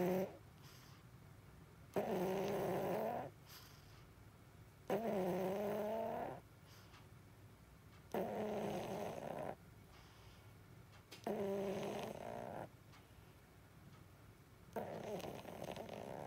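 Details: A 16-year-old, blind and deaf female pug in deep sleep snores loudly with rattling, harmonic inhalations about every three seconds, quiet gaps between breaths.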